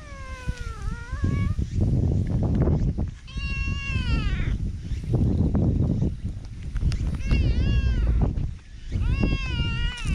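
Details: Affectionate, people-friendly black cat met in a park, captured with a GoPro; four drawn-out wavering meows spread across the stretch, separated by dense low rumbling and rustling close to the microphone.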